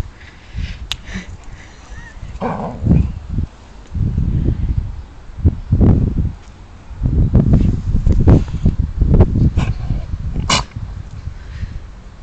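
An Alaskan Malamute gives a string of deep, rumbling grumbles and low woofs in uneven bursts.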